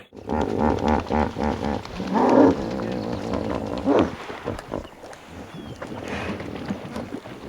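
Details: Hippopotamus call: loud, deep, pulsing harmonic honks and grunts for about four seconds, then quieter rumbling grunts trailing off.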